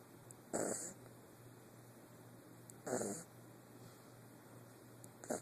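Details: Eight-week-old puppy asleep and snoring indoors, with three soft breathy snore bursts spaced about two and a half seconds apart, each a brief rasping rush of breath, over a faint steady hum.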